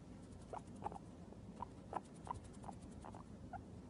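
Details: A male Abyssinian guinea pig waking from sleep gives short, soft squeaks at uneven intervals over low shuffling and rustling.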